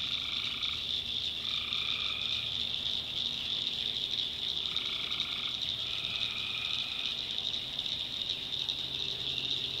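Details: Tree frogs at night in a North Carolina swamp: a steady shrill trilling chorus overlaid by several short tonal calls, each near a second long, arriving in irregular pairs over the first seven seconds.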